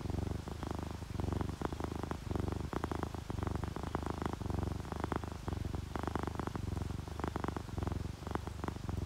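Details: Sleepy ginger tabby or calico cat purring in relaxation: steady low vibrating drone, cycling roughly once a second with inhale and exhale, fine crackles on top and gentle rain in the background.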